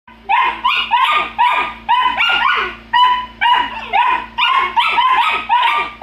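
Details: Golden Retriever puppies bickering and yelling at each other: a rapid run of sharp, high yipping barks, about two per second, often overlapping, with brief pauses between bursts.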